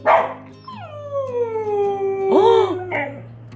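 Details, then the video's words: Siberian Husky's first-ever howl, at about a year and a half old, recorded 28 August 2017: a long smooth tone sliding down slowly over nearly two seconds, then a short rising-and-falling yelp and a brief noisy burst. "시베리안허스키(Siberian husky,シベリアンハスキー)의 난생처음 하울링을 하다"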